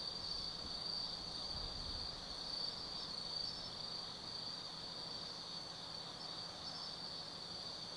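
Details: Autumn insects singing at night in the forest of Tsukimi no Mori, Kaizu, Gifu, Japan, seen from a viewpoint 180 m above the Nobi Plain; a steady high-pitched trilling chorus in shimmering bands, with a faint low hum beneath.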